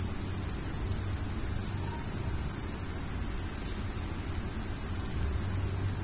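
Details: Crickets trilling at night: a bright, continuous, high-pitched ringing chorus with a constant level and no other clear sounds.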